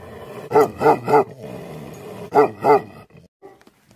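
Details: Deep, booming barks from an angry Tibetan Mastiff (Bhote Kukur): a triple bark, a pause, then a double bark, trailing off into faint soft sounds.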